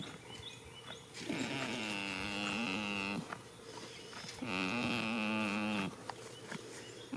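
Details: Sleeping in a field in early spring, a goat gives two long, drawn-out snores of about two seconds each, buzzy and tonal with a gently sagging pitch, separated by a quiet pause.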